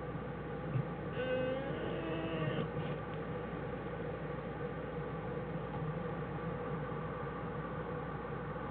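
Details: Jewel, a black bear, with her cubs Fern and Herbie inside their den on January 1, 2013; a whining, harmonic cry rises and wavers for about a second and a half before fading, over a steady background hiss.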